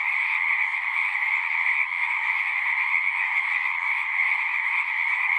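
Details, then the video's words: Pond in a horse pasture, frogs singing en masse, recorded on a Zoom 6: steady overlapping trills form a continuous droning chorus, with a faint low rumble partway through. "Frogs singing"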